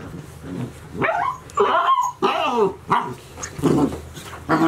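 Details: Golden Retriever puppies, 72 days old, at Ain village, one of six in the litter, filmed 6 July 2018. Short, high, arching yelps and barks come in about six harmonic bursts over five seconds, with soft background murmur between them.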